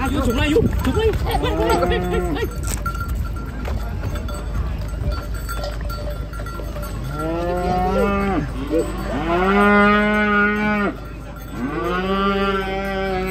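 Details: Cattle unloading from a truck for a contest in Indonesia, giving long low moos with rich stacked harmonics, three drawn-out calls in the second half, over steady background noise.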